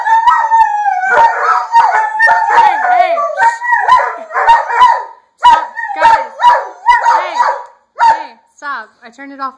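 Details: Three German Shepherds howl in response to police sirens, a chorus of wavering, sliding howls with rich harmonics, broken into pulses near the end with short yelping falls and brief gaps.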